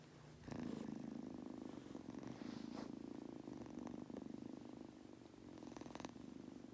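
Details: Pet Munchkin kitten Goku purring as he falls asleep: an unbroken, even, rumbling purr that swells slightly after the first half second and holds steady to the end.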